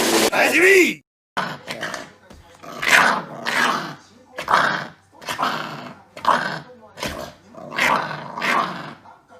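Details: Chihuahua puppy playing roughly and biting, looking fierce though only at play; a short high squeal opens, then a run of rough, raspy growling bursts repeated about every second, with some human voice.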